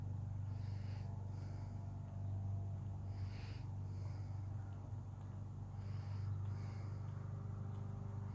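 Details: Thirteen-year-old female cat purring while cleaning herself and enjoying the day: a steady, deep, rumbling purr, with soft breathy hisses roughly every second and a half.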